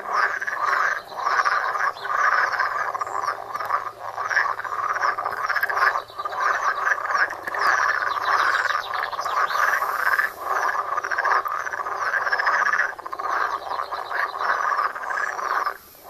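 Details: Frogs croaking in a pond, recorded on a Samsung Galaxy Note phone: a dense, continuous chorus of many overlapping rattling croaks with no pauses, steady throughout.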